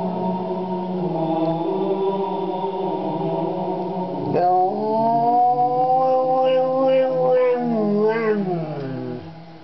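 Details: Retired 7-year-old greyhound River singing with the HALO theme: choral music carries the first half, then a loud rising roo swells in, wavers and falls off near the end.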